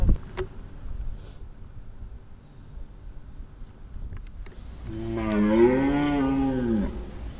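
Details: During a roaring census, a Corsican red deer stag gives a single deep, harsh, drawn-out rutting roar at 20:05, heard at a bearing of 280 degrees and noted at distance 2.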